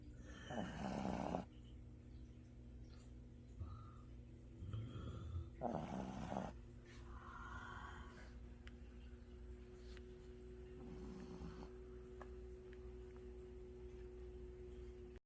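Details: A sleeping Maltese dog snoring: a few rough, rumbling snore bursts at uneven intervals, strongest near the start and around the middle, then a fainter one later, with a quiet steady hum between them.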